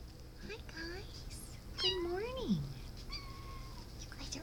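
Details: Meowing of one of several cats, which a person calls very small: a loud, wavering meow rising then sliding steeply down near 2 seconds, with softer short mews before and after and a person talking close by.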